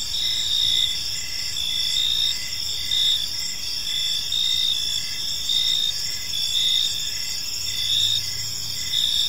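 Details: Crickets chirping in a peaceful park at evening: steady, high, dense trilling bands with pulsed chirps repeating roughly every second, several insects overlapping into a continuous shimmer, faint low rumble of distant background noise beneath.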